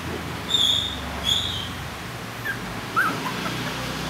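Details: Young Maltese-Shih Tzu puppies in the Philippines, learning to walk for the first time, give thin, high-pitched squeaking whimpers, a few brief cries spaced apart.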